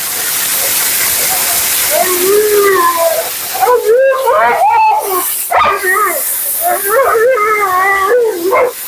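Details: A vocal Siberian Husky named Mila grumbles through grooming at her second-ever groom: a run of short, bending, yodel-like syllables in uneven bursts, with a constant rushing hiss behind.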